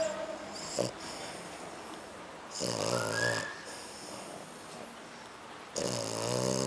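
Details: Kiko, a French Bulldog and Pug dog, snoring: two long rasping inhaled snores with buzzy harmonic bands, about three seconds apart, plus a short snort near the start and faint background noise.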